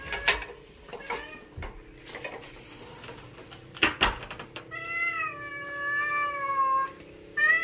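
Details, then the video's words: Stray street cat that visits daily to beg for food: a few knocks and short sounds, then a long drawn-out meow lasting about two seconds that slowly falls in pitch, followed by the start of another meow. "밥달라고 매일 찾아오는 고양이"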